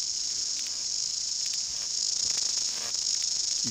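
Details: Male New Zealand chorus cicadas (Amphipsalta zelandica), backs arched to open their sound organs, recorded with the microphone right up close in New Zealand bush: a steady, high, shimmering buzz that fills the air without a break.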